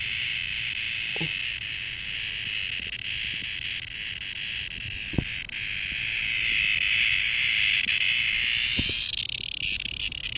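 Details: A lone cicada, close by, gives a sustained shrill buzz with a rapid pulsing texture that slowly grows louder, then shifts and wavers near the end; a few soft knocks are heard.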